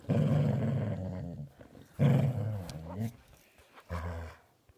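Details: Dog making a funny noise: three low, throaty growling rumbles, the first and second long and loud, the last shorter and fading, with brief quiet gaps between.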